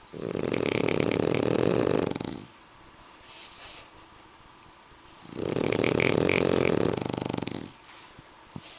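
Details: Two French Bulldogs, Suna and Annibal, snoring loudly; two drawn-out, raspy, vibrating breaths, each around two seconds, with a soft lull between them.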